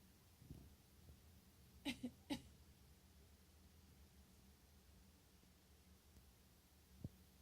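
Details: A pet degu answering coughs and words spoken to it: two or three short sharp squeaky chirps close together in the middle, with quiet breathing-like sounds and a faint click near the end in a small indoor room.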